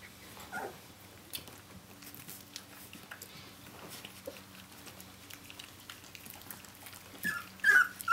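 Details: Brenda's puppies, seventeen days old, cry out for their mother; after mostly soft rustling, a short burst of shrill, bending whines comes late, over a constant faint background hum.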